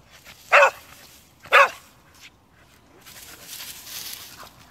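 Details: Bouncing among bushes, a dog lets out two sharp barks a second apart, followed by soft rustling and a hiss of background noise.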